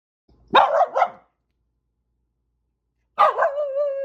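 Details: Corgi named Renfri barking to warn off cranes and geese: two quick barks, a pause, then a bark sliding into a long wavering whine-like yelp, with no other sounds around it.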